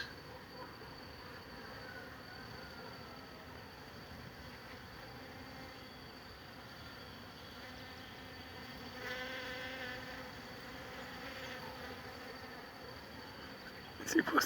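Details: Many worker honey bees pollinating a flowering jabuticaba tree make a steady, droning hum of buzzing together, swelling slightly louder toward the end.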